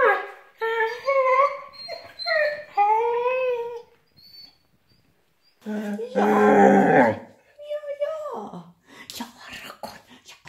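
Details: A male Vizsla gives long, wavering whines that slide up and down, broken by short squeaks and a louder yodelling burst, sing-song pack howling that expresses joy at being with his pack, not suffering.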